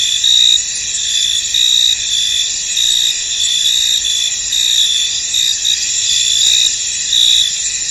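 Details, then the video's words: Field crickets in mist keep up an unbroken, sharp, high whirring chorus. Bright chirp pulses swell out of it every second or so, and no other sound is heard. "Tranquil Cricket Sounds In An Misty Field"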